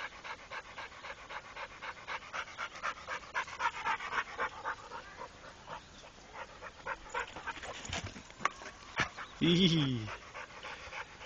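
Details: Trained Pit Bull named Rako panting rapidly in breathy pulses, fading toward the end, where a short human voice and a few knocks break in.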